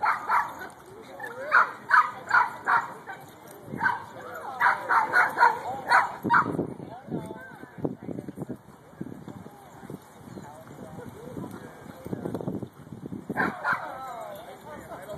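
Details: A ten-month-old Shiba Inu at play with another dog in a Fullerton dog park gives bursts of rapid, high yapping barks in clusters, pausing between them, over people talking in the background.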